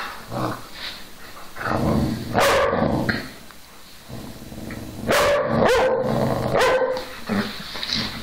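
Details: Two whippets, Milo and Gino, giving a few sharp barks and yips in short bursts with rumbling growls between, pauses of quieter noise.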